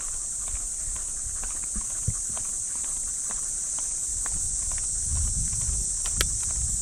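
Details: Cicadas shrill in park trees on an early summer morning in Japan, a steady high hiss with no breaks, while footsteps crunch along the path during a walk with Mameta the Shiba Inu.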